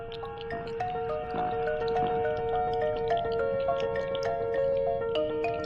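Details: Sustained musical tones and chiming notes play throughout, with no animal sound.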